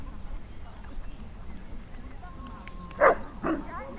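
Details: Saint Bernard, an overmotivated dog at a class 2 rally obedience trial on 17.7.16, gives two loud, deep barks half a second apart near the end, following quiet background voices and murmuring.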